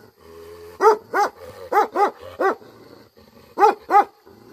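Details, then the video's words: Tibetan Mastiff (Bhote Kukur) barking angrily, with rich booming barks mostly in doubled bursts, about seven across four and a half seconds, and a low hum between them. "Angry dogs barking effect sound ||Tibetan Mastiff || Bhote Kukur"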